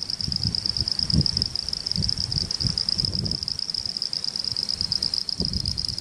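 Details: Uruguayan frogs, Pseudopaludicola falcipes and Elachistocleis bicolor, Laguna Garzón region of Maldonado, December 2019; a bright, constant high trilling chorus dominates while soft low bumps and rustles come and go.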